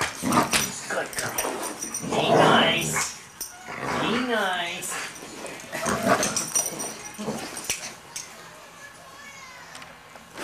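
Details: Playful German Shorthaired Pointer with a Yorkshire Terrier: grumbling growls early on, then a sliding, wavering whine near the fourth second and more growling bursts, with clicks and scuffles, fading to quiet.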